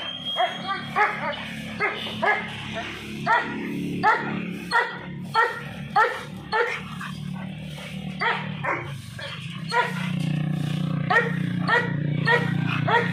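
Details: American Bully dog barking in a rapid run of short, sharp barks, about one or two per second, over a steady low hum that grows louder near the end.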